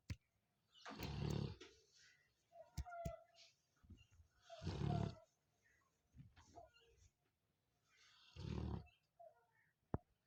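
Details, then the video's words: Sleeping Labrador Retriever snoring: three deep, rasping breaths roughly every three and a half seconds, low and rumbling with a harsh upper edge, softer breathing between them and a few faint clicks. "Sleeping and Snoring Labrador"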